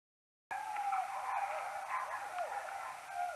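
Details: Common noctule bats near a maternity roost, slowed tenfold, recorded on an EchoMeter Touch 2 Pro: a steady band of repeated downward-curving sweeps, slight hook-shaped calls overlapping one another, with faint clicks over constant hiss.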